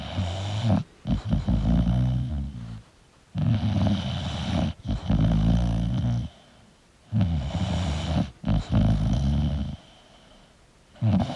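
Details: English bulldog sleeping indoors, snoring in loud, low, rumbling bursts about two seconds long, separated by short quiet pauses as it breathes in and out.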